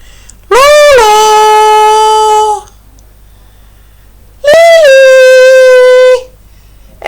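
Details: Pet dog howling along while coaxed in Finnish to sing indoors: two long, steady, clear tones, each lasting about two seconds, sliding slightly down at the start, separated by a quiet pause.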